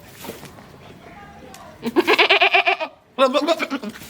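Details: Female goat on a home goat farm, in heat and ready to mate with a male: two loud, wavering, stuttered bleats, one about a second long and a shorter second, following quiet talking.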